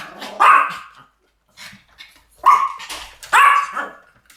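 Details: Pomeranian barking in a duet recording: three loud, high yapping barks spaced about a second apart, separated by quiet gaps.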